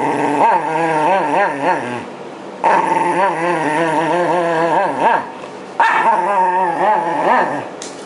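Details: ['Wavering, sing-song growls from the Shiba Inu Yamato during brushing to remove shedding winter fur in 2012, just before spring. Three loud rippling bursts each last two to three seconds, with short quiet pauses between.']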